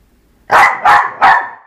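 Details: Eva, a dog at play with a skateboard, gives three loud, sharp barks in quick succession, each about a third of a second apart.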